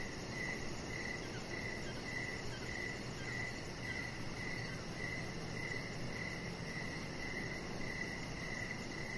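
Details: Evening crickets beside a deck, repeating quick mid-pitched chirps at a regular pace over a steady wash of background noise, with faint high ticking.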